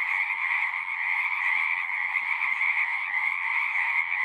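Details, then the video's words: Continuous massed frog song, countless overlapping trilling voices merging into a shimmering high drone with a softer lower layer, steady throughout with no other sounds standing out. "One hour of singing frogs."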